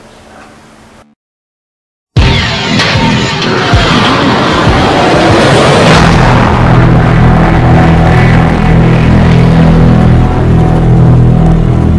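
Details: Loud music with deep booming bursts and rumbling, like explosions or engines; no animal is heard.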